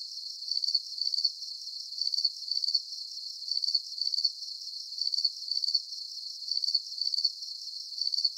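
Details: Crickets chirping in a nighttime relaxation soundscape: high, pulsed trills come in short bursts, often paired, about every half second. Nothing else is heard.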